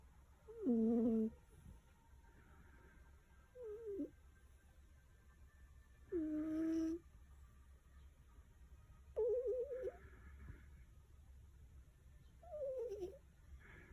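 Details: Sleeping black domestic cat, said to have had a poorly clear nose since birth, snoring like a person: short nasal, tonal wheezing snores of about half a second, repeated every three seconds or so in a quiet small room.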